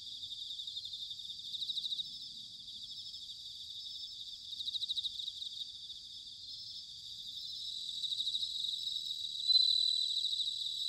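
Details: Bell crickets in Sanuki, Chiba, Japan, singing on an autumn night: overlapping high trills of fast pulses that rise in short bursts and then settle, with one louder ringing burst near the end.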